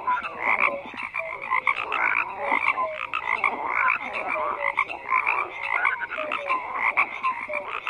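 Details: Frogs croaking en masse, a continuous wall of harsh pulsed calls with short downward tonal chirps dotted throughout, steady loudness and no other sounds noticeable.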